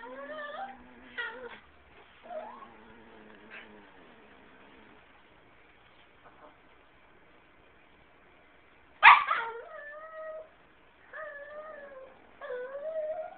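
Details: Chihuahuas at home with several dogs present, giving whining, wavering whimpers and yips with a louder sharp yelp midway, filmed on a phone indoors.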